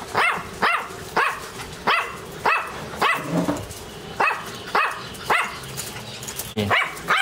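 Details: Dog barking steadily, about a dozen short, punchy barks repeated roughly every half second with little pause, over a faint background hiss.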